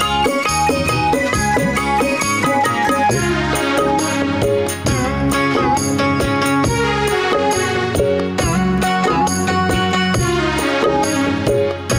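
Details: Folk-style music with drums and melodic instruments plays loudly throughout, with no animal sounds heard.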